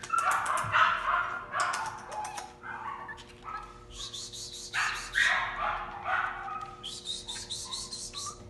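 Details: A six-week-old male blue West Highland White Terrier puppy with international pedigree gives repeated high yips and short whines in bursts, with a faint steady hum running underneath.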